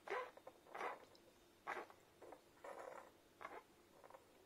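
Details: Newborn Irish Setter puppies from their mother's first litter suckle from her, making soft, irregular smacking and squeaky suckling noises in short bursts.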